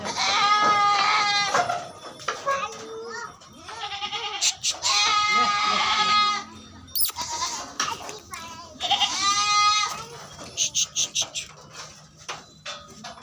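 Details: Barbari goats at a farm in Etawah, Uttar Pradesh, bleating repeatedly: several loud, nasal, wavering bleats overlapping one another, some short and choppy, with people talking faintly behind.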